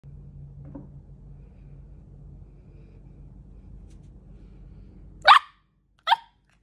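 A Malteagle puppy gives two sharp, high barks after several seconds of a quiet low hum.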